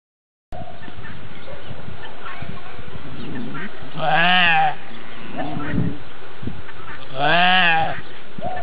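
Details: Racka sheep at the birth of a lamb: two loud, quavering, nasal bleats about three seconds apart, with low rustling and stable background noise.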